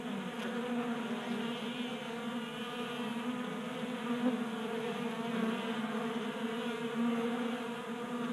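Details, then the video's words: Honey bees swarming a 3D printed bee feeder on a workbench in Colorado in January, burning winter fat stores in unseasonable warmth; continuous buzzing hum with stacked tones, slightly swelling and fading as bees move. "45 Minutes of Honey Bees Feasting from 3D Printed Bee Feeder ASMR"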